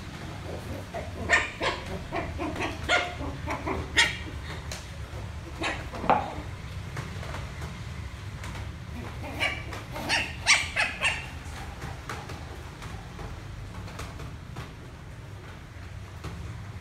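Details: Young Lhasa Apso puppy playing with a rolling box and giving its first barks: a string of short, irregular yips, in small clusters around a second apart, with quiet handling noises between.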